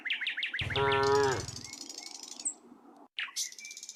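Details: Tame cows among a herd of dozens walking happily along a quiet country road: one strong, slightly falling moo of about a second, with rapid repeated bird chirps before and after it.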